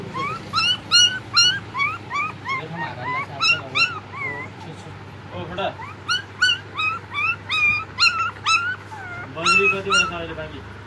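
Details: Long-haired German Shepherd puppies whimpering and yelping: a steady series of high, arching whines, roughly two to three a second, in bursts with brief pauses, over a low hum and some human voices.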